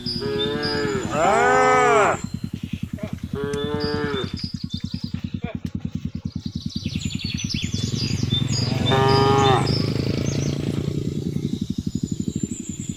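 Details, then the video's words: Village cattle in rural Indonesia, herded home along a road in the late afternoon, moo to call the herd. Two drawn-out moos in quick succession, then a short one later, over a continuous low throbbing rumble. "suara sapi memanggil kawanan"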